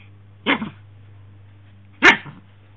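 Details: Shih Tzu playing indoors with a pink dog pillow, giving two short, sharp barks about one and a half seconds apart over a steady low hum.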